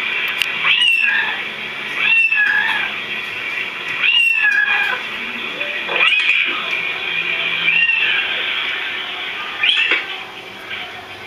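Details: Pet cats respond to other cats' meowing with a series of curved, plaintive meows about every two seconds, a few stretched into short yowls.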